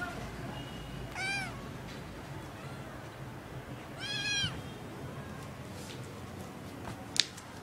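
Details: Sibling kittens indoors: two clear, harmonically rich meows, each rising then falling and lasting about half a second, about three seconds apart, over a quiet low room hum with a faint click near the end.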